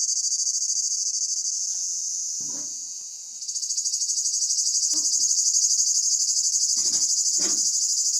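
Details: Cicadas singing in summer at Pelion, Greece: a loud, dense, high buzzing drone that dips briefly near the middle then swells back, with a few faint low thumps and rustles beneath.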